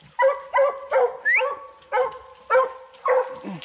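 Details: Repeated baying barks, around eight short bursts with ringing harmonics, from young Redbone Coonhounds on a 2020 coon hunt. A male in his second season and a female in her first are with the hunters. A man calls encouragement between barks.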